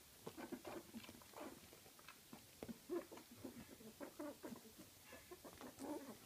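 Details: Two-week-old puppies of the dog Gryzia squeak in quick, short, high bursts, several per second, with soft shuffling noises between calls.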